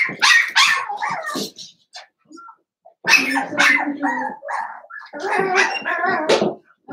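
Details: Seven-week-old blenheim Cavalier King Charles Spaniel puppies from a litter of five, born at New Year's, in an indoor puppy pen: bursts of high, yappy barks mixed with whining yelps, in two loud bouts separated by a short quiet gap.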